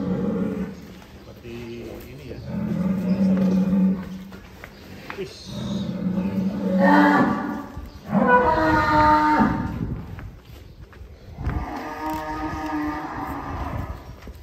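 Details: Cattle at GST Farm, where a pen holds 150 head, give several long, deep, harmonic moos. Some swell into loud drawn-out bellows and others are shorter and lower, separated by brief pauses, over a low background hum.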